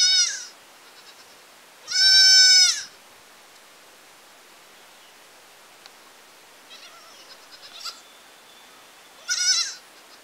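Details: Goat in a village giving a strong, steady nasal bleat, followed by a shorter high bleat several seconds later, with faint scattered noises in between.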